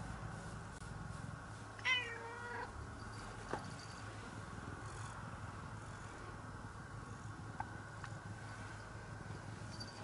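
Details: Affectionate cat staying close beside its owner, seeking attention: a single short, falling meow early on, then quiet with a low steady hum and a few faint clicks.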